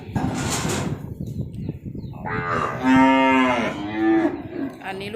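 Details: Calf, some of them crossbred, among 17 being delivered to Nong Bua Lamphu province, Thailand, lets out one drawn-out, rich harmonic moo that rises and then falls over about two seconds, after clattering noise.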